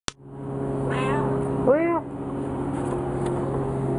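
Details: Frisky, a talkative pet cat, trading sounds with its owner: a single short, rising-then-falling meow follows a human voice over a steady low electrical hum.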